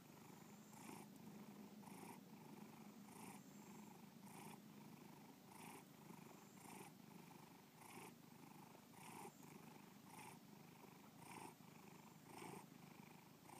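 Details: Pet cat Bubba purrs steadily in a small room, the deep rattling hum rising in short brighter pulses about once a second, roughly 52 times a minute, without other sounds.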